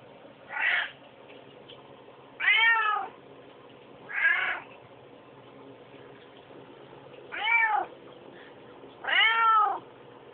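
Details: Hungry pet cat crying for food, recorded on an Android phone: five drawn-out, whining meows with bending pitch, spaced irregularly over ten seconds, otherwise quiet indoors.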